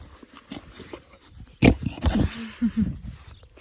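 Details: Tia, a five-month-old female black Labrador Retriever, gives short low whimpering grunts in quick succession after two loud thumping knocks, with faint rustling between.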